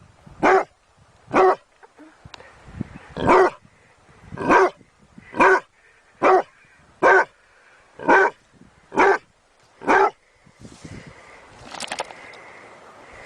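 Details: Dog barking in a steady series of about ten sharp, loud barks spaced roughly a second apart, with a faint hum and a brief noisy rustle near the end.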